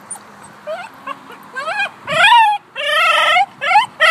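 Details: Two-year-old cream male Shiba Inu yodelling in over-excitement at a dog park: a run of loud, harmonic, wavering cries that rise then fall, with short gaps between them and faint whimpers at the start.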